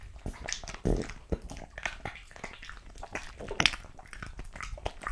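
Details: A French Bulldog eats raw meat, including quail, lamb kidney and beef testicle, indoors. Moist smacking bites and crunches come in quick irregular bursts, with several louder snaps near the start and middle.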